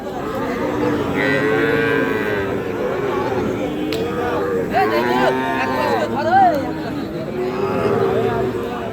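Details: Two Sahiwal calves, five to six months old, for sale at a cattle market. Several drawn-out, wavering moos rise and fall over about nine seconds while traders talk and haggle nearby.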